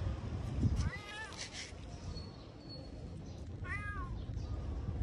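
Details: A domestic cat gives two short rising-falling meows, one near the start and one near the end, over low background rumble with brief rustling.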